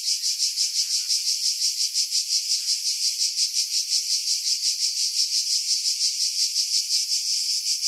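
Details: Skiros Island cicadas, Greece, July 2018, in coastal pines at Pefkos Bay, recorded with a Sony RX3 and external mic: loud sizzling buzz beating in rapid even pulses, nearly three per second, with no other sounds.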